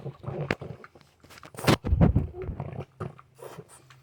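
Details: An adult male French Bulldog, back from a two-hour dog park session, makes deep, pig-like grunts and snorts in irregular bursts, a noise he makes every morning.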